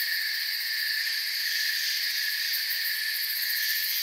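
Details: Crickets in forest ambience produce a steady high-pitched chirring drone, rapidly pulsed in the top register and holding an even level with no gaps.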